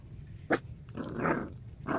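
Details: Puppy giving a single sharp, short bark followed by a rougher, drawn-out yelp and another brief yap near the end, over low background hum.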